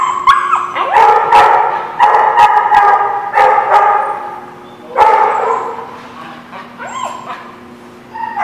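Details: Many dogs barking together in a kennel-like setting, recorded on 27 October 2017: dense overlapping barks in bursts with brief lulls, some higher yips and a whimper-like rising note near the end.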